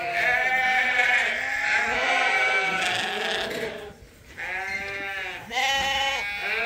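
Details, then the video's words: Morning pile-up of rams and ewes at Ewetopia Farms before release to spring pasture. Many sheep bleat together in long, wobbling cries, with a brief lull before several loud bleats return. "Sheep Farming: Morning Pile-Up!"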